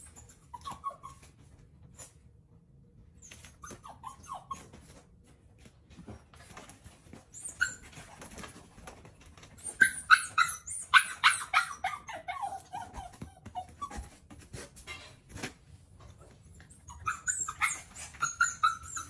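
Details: BoJolie, a female puppy trying hard to get breakfast by jumping around the table, gives short whines early on, then a dense run of sharp yips and squeaky whimpers midway, and a final brief burst, with quiet room noise between.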